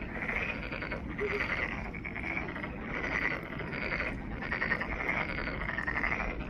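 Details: Chorus of many frogs in Monet's Pond, Ulsan National Garden, Korea, with rippling, rattling croaks that swell and fade in waves every second or so over a constant low hum.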